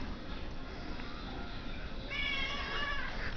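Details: Hungry domestic cat asking for its dinner: a quiet stretch of room noise, then a wavering meow rising and falling over the last second, softer than the background rumble.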